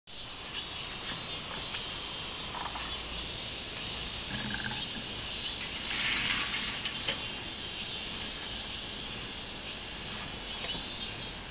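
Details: Minmin cicada singing on 24 July 2016, in summer: a steady high, hissing drone with soft pulsing swells, plus a few brief lower rustles and knocks in the background.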